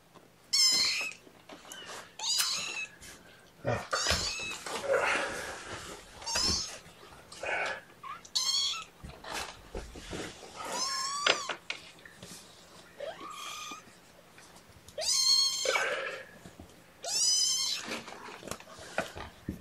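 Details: Hungry young kittens, a lapful being fed formula by syringe on a morning in May 2018, cry repeatedly with high, wavering mews every second or two, mixed with handling clatter and rustling indoors.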